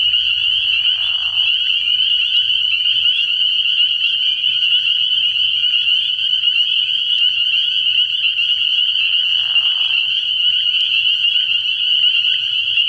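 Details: A dense night chorus of spring peepers at a frog pond early in the year, steady shrill high-pitched peeping throughout, with two short lower, rougher calls breaking through near the start and again near ten seconds.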